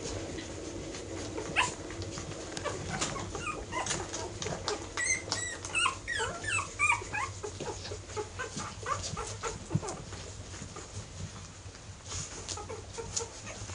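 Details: Airedale Terrier puppies, ten weeks old, giving a busy stream of short high whimpers and yips, clustered most densely midway through, over a low steady background hum.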